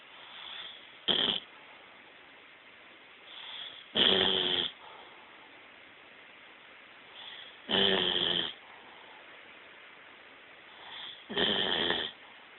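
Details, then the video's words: A female Bloodhound snores in loud, raspy bursts roughly every three to four seconds while asleep. "Snoring Bloodhound LOL!"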